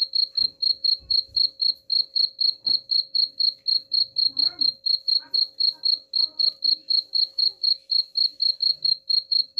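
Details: Cricket sound for scaring off rats: a continuous run of piercing high chirps, roughly four per second, very regular, with faint knocks and soft low background noises beneath.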